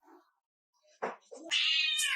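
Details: Orange pet cat that keeps talking back to his owner indoors; a few soft sounds and a short murmur lead into a loud, drawn-out, harmonically rich meow that holds steady, then lifts at the end.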